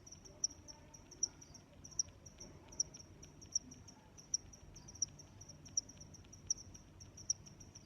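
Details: Steady cricket chirping, each chirp a bright high pulse, coming roughly every 0.8 seconds with softer neighbouring chirps in between; faint low rumble underneath and nothing else prominent.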